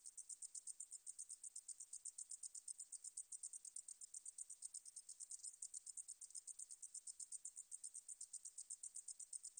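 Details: A shrill, rapid ticking song from a meadow katydid (등줄어리쌕쌔기), from the National Institute of Biological Resources, 2020, with pulses repeated evenly and without pause against a silent background.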